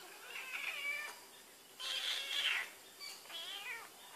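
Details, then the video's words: Domestic cat named Barbie Choc, filmed while smelling Whiskas, gives three drawn-out high meows with bright harmonic stacks, each lasting about a second, separated by short quiet gaps; no other sounds stand out. "Barbie Choc Smelling Whiskas"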